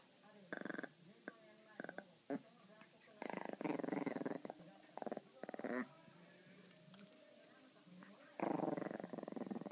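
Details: Kou-chan, an adult Pomeranian, playing with a string toy indoors; short rough, buzzy growling bursts come in uneven clusters, some brief and some lasting nearly a second, separated by quiet gaps, with faint room noise.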